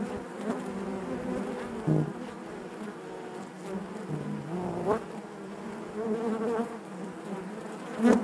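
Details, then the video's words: Honey bees in their hive produce a rich humming drone whose pitch wavers, dipping briefly around two and four seconds, with bright buzzing flare-ups as single bees fly near, strongest at the very end. "bees therapy hive natural buzzing sound"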